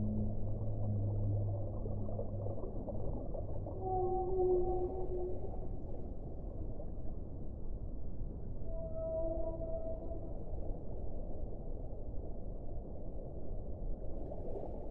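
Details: Whale song: drawn-out tonal moans with harmonics, one near four seconds and a higher pair around nine seconds, set over a constant low underwater rumble.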